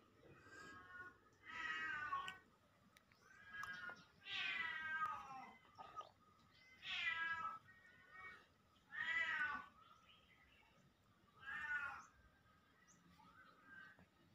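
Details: Nong Kring, a pet Siamese cat, gives a series of loud, drawn-out, wavering meows roughly every two to three seconds, with softer shorter calls in between, in a quiet indoor setting.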